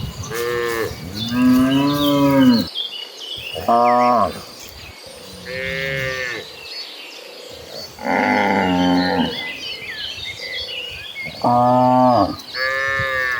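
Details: Dozens of cattle walking toward a lush green pasture moo in a herd, several animals taking turns with long, harmonic lowing calls; cow (Bos taurus) moo.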